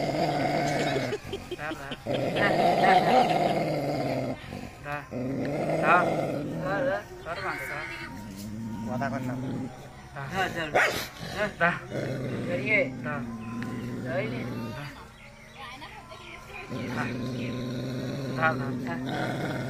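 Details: Dog confronting its reflection in a mirror, angry, producing long rumbling growls in several stretches separated by brief pauses, mixed with laughter, voices and background music.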